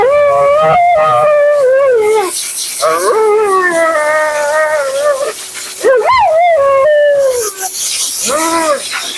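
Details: Mila, a talkative female Siberian Husky, vocalizing during her second-ever bath and grooming: long wavering howl-like moans that rise and fall, broken into several drawn-out phrases, with hiss of running water or a dryer in the background.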